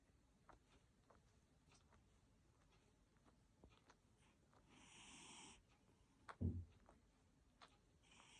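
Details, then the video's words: Sleeping Abyssinian cat snoring quietly, with two soft airy wheezing breaths about three seconds apart against faint room noise and small clicks. "코고는 고양이"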